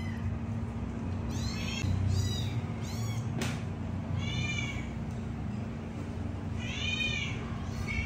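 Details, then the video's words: Hungry kittens, three together, cry for milk with quick strings of shrill bent meows, a sharp click midway and a short pause before a final cluster, steady hum in the background. "Three adorable kittens calling for milk!"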